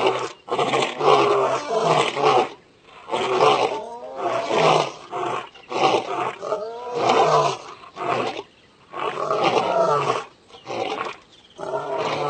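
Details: Lion (Panthera leo), roar.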